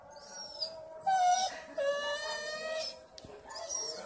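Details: Berry the dog gives a drawn-out, moaning cry held on a steady mid pitch, broken into two or three long wails with faint high squeaks above, heard indoors.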